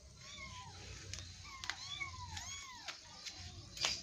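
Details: Kittens wrestling in play, giving a rapid series of short, high, arched mews, each rising then falling, about ten in four seconds, with faint background noise.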